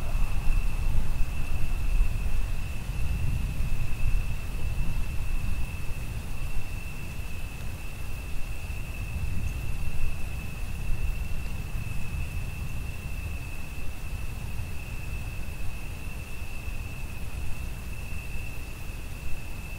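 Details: Under rain and thunder, a cricket keeps up an even, sustained high trill that never varies in pitch, set against loud, rolling low thunder and rain noise, strongest at the start.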